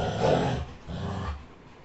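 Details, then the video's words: Labrador Retriever caught mid-fight: a loud harsh snarling burst opens, then a lower rumbling growl continues briefly before fading. "Dog Fighting || Labrador retriever"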